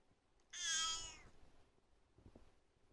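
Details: Cat asking for food gives a single clear, high, drawn-out meow of about three-quarters of a second, rich in harmonics, then faint tapping and rustling.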